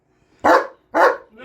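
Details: A German shepherd gives two loud, harsh barks half a second apart, followed by the start of a softer, fainter sound at the end.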